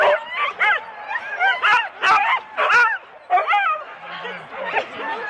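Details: Husky sled dogs in four-dog teams at the start of a race at Rendlesham in January 2016, an excited chorus of overlapping barks, yelps and howl-like yips from several dogs, with voices of people mixed in.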